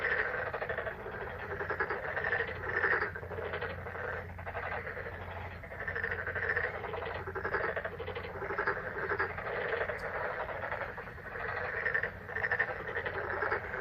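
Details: Many frogs croaking in May, a steady dense chorus of trilled, pulsing calls with small rises and falls in loudness, plus one brief sharp click and a low hum beneath.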